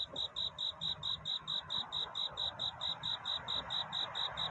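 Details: Cricket singing at night in courtship, seeking a mate: clear high chirps repeated steadily about twice a second throughout, over a soft broad background hiss.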